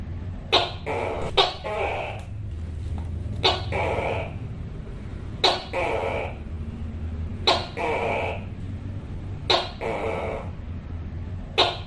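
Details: A Tokay gecko repeats its harsh, frightening-sounding call: abrupt percussive bursts, sometimes doubled, each trailing into a raspy drawn syllable, at about two-second intervals against low background hum.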